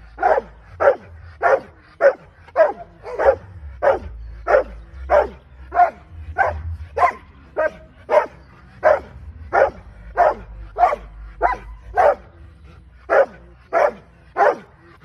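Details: Rottweiler in a training session barking repeatedly: some twenty-five punchy barks, fairly even and close together, about one every half second with a few short gaps, faint low-frequency noise behind.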